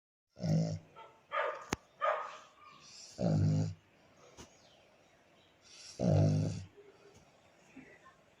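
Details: Black pug dog snoring while asleep beside its owner; three loud, low rumbling snorts roughly every three seconds, with softer breathy snuffles and a sharp click between them.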